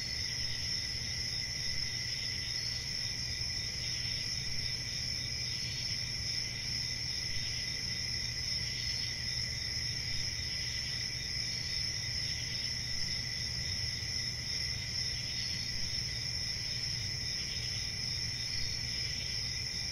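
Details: Crickets keep up a constant shrill chirping for twenty seconds, high and lower tones layered and faintly pulsing, with a steady low hum of background noise beneath.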